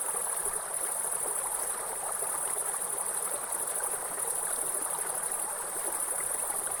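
A grasshopper gives a steady, high, hissing buzz over the rush of falling water.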